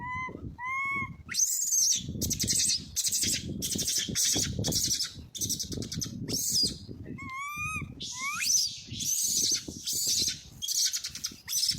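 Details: Baby monkey crying very loudly to find its missing mother while its brother is near; opens with two wavering whimpers, then a string of hoarse shrieks and a few sharp rising squeals.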